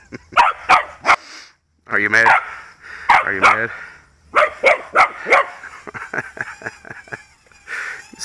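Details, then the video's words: Pet dog, usually wary of quadcopters, barking bravely at a toy skull drone flown around by its owner after a game of fetch; sharp barks in quick bursts, some drawn out with ringing harmonics, a brief pause midway, then rapid repeated barks. "Dog Barking"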